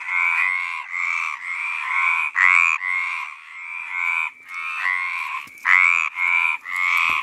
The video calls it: Mediterranean tree frog (Hyla meridionalis) mating call